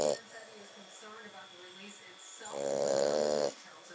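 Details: A French Bulldog sleeping on a couch gives one loud, rough, rattling snore lasting about a second.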